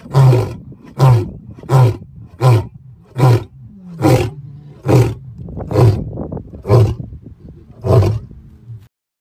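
A lion gives a run of deep, grunting roars, each a short, heavy burst about a second apart.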